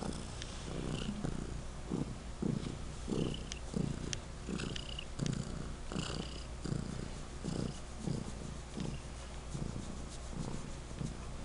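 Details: Pet cat Legend purring particularly loudly; even, low throbbing pulses roughly twice per second run through the whole stretch, with faint higher clicks above.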